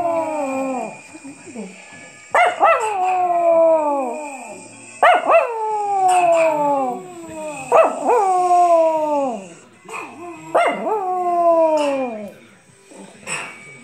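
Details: Little Chihuahua howling at the sound of bells, a run of five or six howls in close succession, each a yelping start falling into a wavering downward wail, with a constant high ringing behind.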